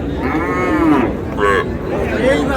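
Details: Cattle at Raniganj haat, a livestock market in Dinajpur, where cows with calves are sold on July 29, 2026. Short harmonic moo lasting under a second, then two briefer bleating calls, over steady crowd murmur.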